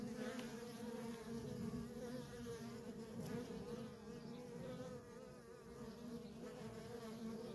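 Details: Steady humming of many worker honey bees around a feral colony, a rich continuous drone with a few faint higher flickers, no other clear sounds.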